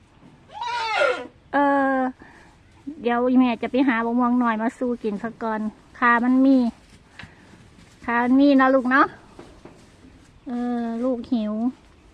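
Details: A hungry Rusa deer on a farm calls loudly for food, giving a series of wavering, nasal bleats around 11 a.m. on Sunday, 7 May 2023, while waiting for grass to be cut; its food and water had run out.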